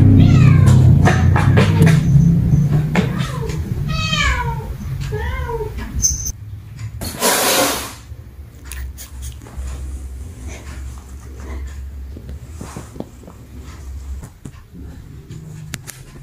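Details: Cats meowing angrily at one another: a quick run of loud, arching meows in the first six seconds, then a burst of noise and quieter rustling with faint music in the background.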